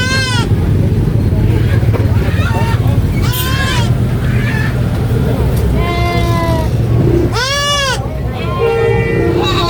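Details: On a farm, a baby goat screams again and again: piercing, quavering bleats, some brief and some drawn out, about eight cries in under ten seconds, with human voices and steady low engine hum.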